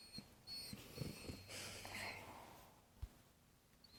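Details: A sleeping male dog snores, a wheezy, rough breathing with soft low pulses and a longer hissing exhale near the middle; the dog had been barking the night before. A faint steady high whine runs in the background.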